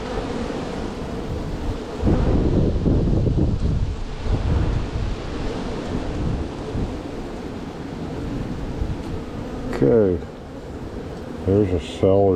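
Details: Honey bees in a strong spring hive being opened and split, frames lifted to find queen cells: a steady low droning hum with layered harmonic bands, heavy rumbling wind and handling noise, and brief human speech near the end.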